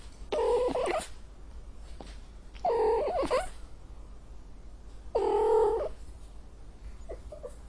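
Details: Angry cat producing three drawn-out, strained, wavering meows about every two and a half seconds, each nasal and harsh, with a faint short call at the end and low room hum.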